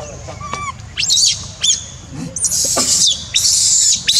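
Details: Monkey crying, starting with a few thin arched whimpers, then building into long piercing screams that come in bursts and fill most of the clip.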